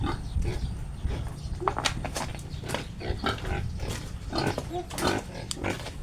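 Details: Domestic pig around a sow that has just given birth again; short, sharp grunts and squeaks come in quick irregular bursts over a low rumbling background.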